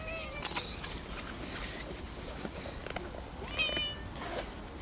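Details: A stray white cat living on the street swats at other cats coming near her. A wavering mewing call opens the clip, and a second rising meow comes near the end. Human voices and clatter sound in between.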